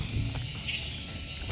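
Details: Cicadas singing at the Mercusuar Cafe & Resto parking area in Dago Pakar, Bandung, heard just after stepping out of a car: continuous sizzling high buzz, swelling briefly at the start and near the end, with low outdoor rumble beneath.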